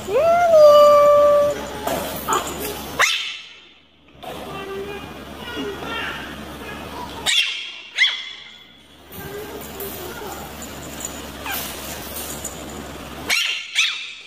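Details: Angry dog: a high, rising whine held for about a second opens, then scattered short barks and yips follow across several abrupt cuts separated by brief silences, with voices in between.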